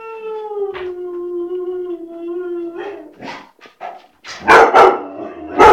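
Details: White shepherd dog giving a long, steady, mid-pitched howling tone lasting almost three seconds, then breaking into a series of short, loud, rough barks.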